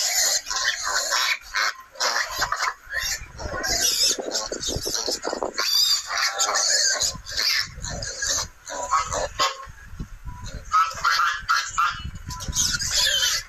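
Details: Wild boar at a nursery, giving dense bursts of high, harsh squeals and shrill grunts in rapid irregular succession, with brief pauses between clusters.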